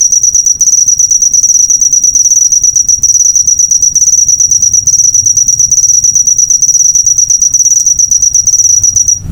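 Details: Cricket chirp as a master recording for cage birds: a high, continuous buzzing trill of quick pulses on one pitch, ending abruptly at the close.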